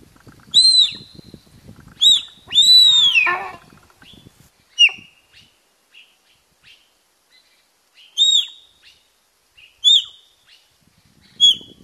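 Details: Wild sika deer in Qingliangfeng National Nature Reserve, Zhejiang, China, give high, shrill whistled calls that arch up and fall away at irregular gaps, made to intimidate competitors in the October–November mating season.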